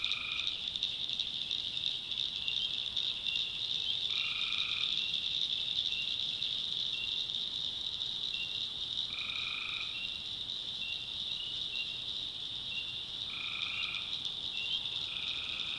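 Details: North Carolina tree frogs calling at night, a continuous piercing trill forming the backdrop while louder short two-note croaks recur roughly every four to five seconds.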